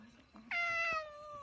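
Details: A cat from a funny pet compilation lets out a single sudden meow, a clear tone starting sharply and gliding slowly lower over about a second.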